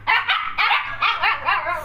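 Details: Siberian Husky pair offered for sale in Gurgaon, India: a quick run of six harmonic, yelping barks, each rising then falling in pitch, packed into under two seconds, with a faint low hum underneath.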